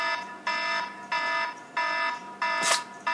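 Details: A phone alarm beeping in a steady repeated pattern about twice a second indoors, with one short broadband burst like a sneeze partway through.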